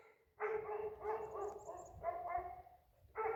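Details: Great Pyrenees livestock guardian dogs on a farm, on a bright day, bark in deep, repeated bursts to warn of a couple of coyotes.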